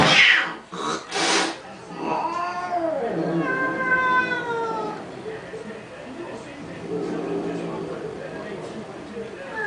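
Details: Squabbling cats with a pink Mustang: after a few sharp knocks, a long bending meow followed by a clear, level drawn-out mew, then quieter rustling noise.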